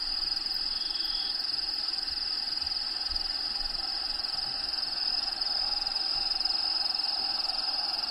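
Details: Crickets inside a bearded dragon vivarium housing a pet dragon named Diego, giving a steady, unbroken high-pitched trill that holds throughout, over a soft hiss of natural habitat sounds playing in the background.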